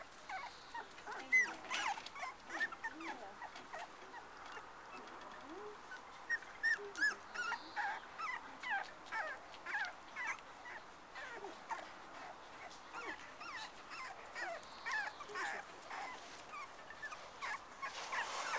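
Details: Black and black-and-white Cocker Spaniel puppies at play with littermates and their mum, giving a steady stream of short high squeaks and yips, roughly two or three each second, irregular and overlapping.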